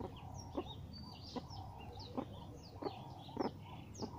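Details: Captive meerkats given a termite mound for enrichment give short, low clucking calls, repeated every half second or so; Meerkat.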